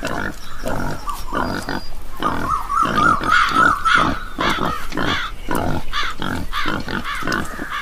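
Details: Mother wild boar in a Madhya Pradesh forest, India, hidden under elephant grass after giving birth, screaming very loudly while a crow attacks her newborn; harsh, broadband squealing bursts repeated roughly twice a second, rough and uneven, filling the clip.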